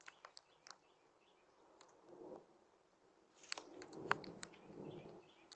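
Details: Pet bunny with a wriggling nose makes soft crackling noises like a fire: faint dry clicks and crunchy ticks in scattered bursts, clustered near the start and again in the second half, in a quiet indoor room.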